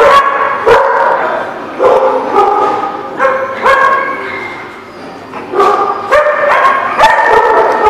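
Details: Dogs recorded on June 24, 2016, giving short, tonal, high yips and barks in clustered bursts with brief pauses, some calls overlapping, plus a few sharp clicks or knocks.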